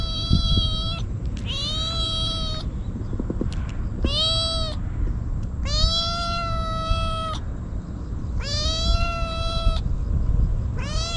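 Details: Stray kitten crying desperately and nonstop while eagerly eating Churu and Sheba, filmed outdoors on a GoPro: six loud, harmonic meows, each about a second long, rising then holding steady, under a steady low rumble of background noise.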